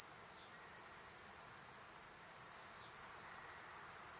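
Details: A continuous shrill buzzing drone from a Platypleura kuroiwae cicada, level and constant throughout this short stretch with no breaks.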